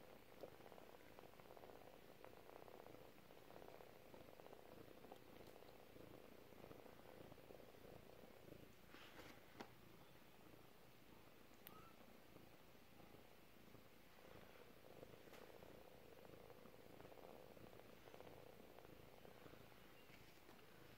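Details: Domestic kitten, four weeks old, giving a long, even purr: a low, rapidly pulsing rumble that runs without pause, with a few faint clicks and rustles indoors.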